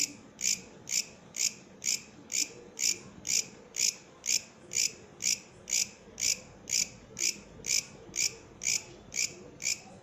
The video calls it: Katydid, bush criket singing